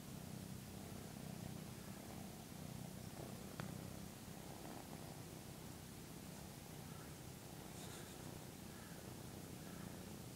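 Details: A 13-week-old male Maine Coon kitten purrs in a steady, low, unbroken rumble while grooming its owner early in the morning.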